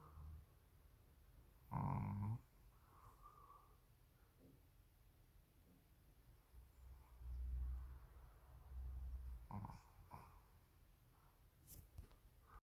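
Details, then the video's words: A sleeping Shih Tzu snoring indoors: a loud, rough snort early on, then a few softer, low rumbling snores spaced unevenly across the rest, with quiet room background between breaths. "코골이 시츄"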